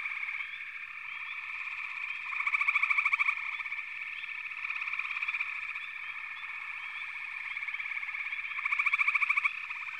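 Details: Frog chorus, a constant buzzy trilling background broken by two louder, rapidly pulsed croaking bursts, one around two and a half to three seconds and another near nine seconds.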